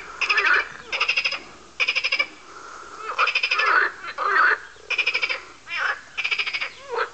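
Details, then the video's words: A group of frogs croaking and going after each other, apparently in mating season: dense overlapping chorus of pulsed, rattling croaks in half-second bursts roughly every second, mixed with shorter nasal upswept calls. "Noisey Frogs"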